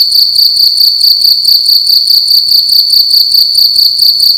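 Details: Nighttime cricket inside a room producing a loud, high, metallic trill of rapidly repeated chirp pulses, constant in pitch and volume from start to end.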